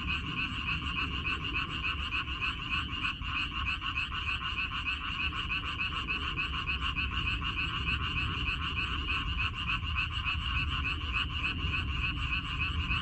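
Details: Many frogs calling together in a water dropwort field in May 2021, their overlapping rasping croaks merging into a continuous trilling wall of sound, with noticeable low-pitched rumble underneath.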